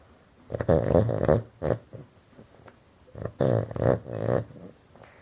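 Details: Loud snoring from a pet Boston terrier asleep indoors with eyes wide open, a breed known for snoring. Rough, vibrating snores in paired bursts, each breath pulsing rapidly, two clusters about three seconds apart.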